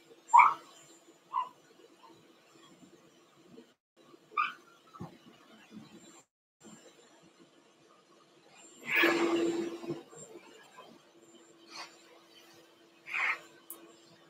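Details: Blenheim Cavalier King Charles Spaniel puppies from a litter of five, born on New Year's, in an indoor puppy pen. Short high squeaks and whimpers come at scattered intervals, with a louder breathy burst near the middle against a steady low hum.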